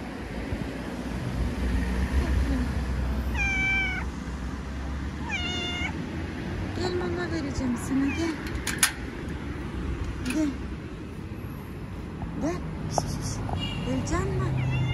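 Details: Stray cat in Istanbul, Turkey, meowing repeatedly every couple of seconds, each call a short bent tone, while people talk nearby and urban traffic hums underneath.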